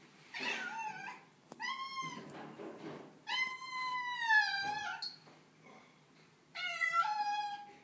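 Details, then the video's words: Tortoiseshell cat, female, unhappy on the day of moving into a new house, giving four drawn-out harmonic meows, some falling at the end, with quiet pauses between in an indoor room. "Cute Tortie Cat meets the New Home"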